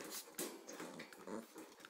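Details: An 8-week-old Pembroke Welsh Corgi pup, with a 6-month-old female companion, gives soft, broken growls and small whimpers in quick, uneven bursts.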